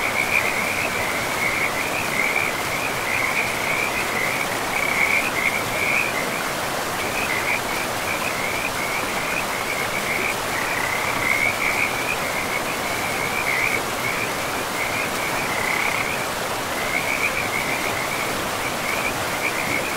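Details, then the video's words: Frogs by a river in a pristine forest give a steady train of short, chirping pulses in a fixed high band, running almost unbroken with brief gaps, over a constant rushing wash of flowing river water. "River and Frogs sleep sounds 10 hours"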